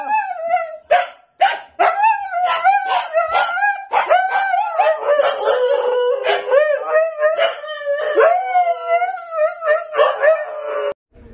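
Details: Siberian Husky pet, one of the dogs Max and Bombón, "talking" in a long wavering howl that rises and falls over about eleven seconds, broken by short sharp clicks and cuts, with stacked bright overtones.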